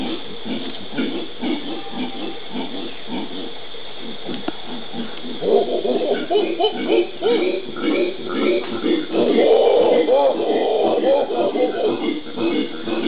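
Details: Pantanal howler monkeys (Alouatta), Brazil, January 2011: low throaty grunting builds after about five seconds into a louder, rolling roar chorus that peaks near ten seconds.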